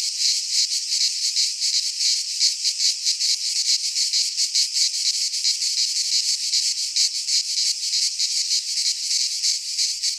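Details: A cicada chorus sings through a midsummer day in a Greek pine forest: a bright, unbroken metallic buzz that flutters in fast pulses for ten seconds, with no other sounds.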